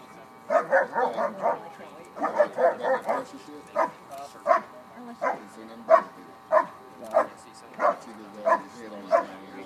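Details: Bark and hold during an IPO event at the 2013 Schutzhund USA Nationals: a quick burst of clustered barks, then evenly spaced single barks roughly every half second, with soft crowd noise behind.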